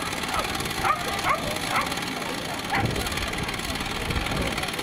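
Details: Whippet sprinter at a race final of the ADP championship and Boleslavský pohár, giving short high yips about every half second, then one more after a pause, over steady crowd murmur and broad background noise.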